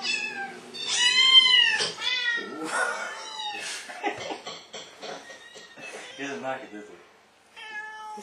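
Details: Pet tomcat reacting excitedly to recorded meowing played back to him; several loud, stretched meows in quick succession, some sliding down in pitch, then shorter mews, mixed with people talking and brief background music.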